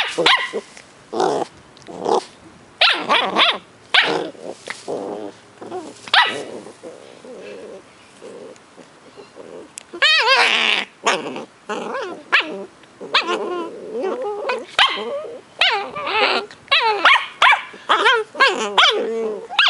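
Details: Two 10-week-old Cardigan Welsh Corgi puppies, brother and sister, in Adelaide, South Australia, trade high, squeaky yips and whines with short rough growls in uneven, overlapping bursts, rising and falling in pitch as they play.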